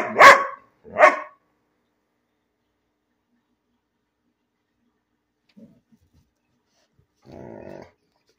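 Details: Two quick, sharp barks from Bean, a dog barking for no reason, then near silence with a faint low murmur at the end.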